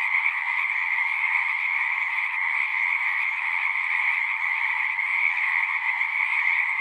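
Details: Frog chorus from a pond in a horse pasture, Zoom 6 recorder: overlapping high, buzzy trills blend into one continuous, evenly loud drone with no silent gaps.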